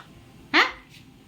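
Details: Domestic cat on a washing machine chatting with its owner: one abrupt clipped meow, quick and harmonic, followed by a short trailing tone, with quiet room noise and a soft voice after.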